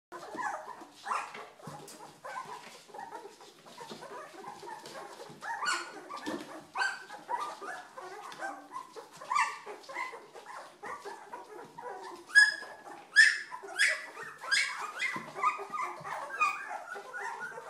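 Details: Two-week-old Old English Sheepdog puppies, a noisy litter getting moving, give overlapping squeaky whimpers and yelps, some sharp high squeals near the middle, with steady scuffling between calls.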